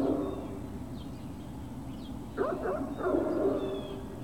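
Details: Great Dane puppies on a hill, recorded 21 March 2019 in late morning: steady low rumble throughout, then past the midpoint a quick cluster of short, high yips and whines that rise and fall.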